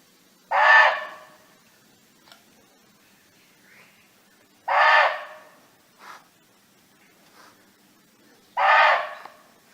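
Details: Barking deer roaming free in nature, calling to its companions: three loud, harsh, short barks about four seconds apart, with faint quieter clicks and rustles between them.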